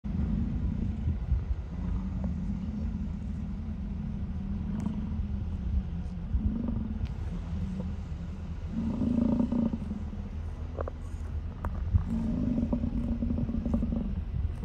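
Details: American bison along Grand Loop Road in Hayden Valley, Yellowstone, Wyoming, on August 10, 2023, at 8:30 PM, recorded from inside a car; deep, drawn-out rumbling bellows overlap almost continuously, several animals calling over a steady low engine-like hum.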